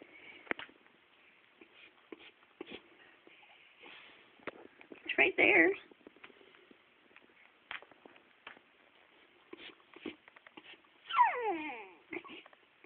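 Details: Boxer puppy sobbing indoors over a rawhide bone: scattered soft whimpers and a brief burst, ending with a long wavering whine that slides downward, amid a woman's coaxing voice and light shuffling.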